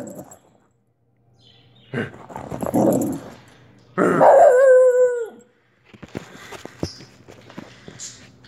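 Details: Olive the Wheaten terrier gives a rough, breathy bark followed by a longer drawn-out tonal yowl that slides downward, then scattered clicks and rustling sounds.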